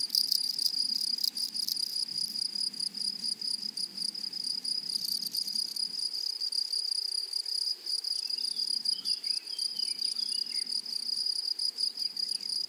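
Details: Grasshoppers on a flowering prairie keep up a loud, sustained, high ringing trill, grainier and more crackling in the first seconds; later, faint chirpy bird-like notes flicker in the background.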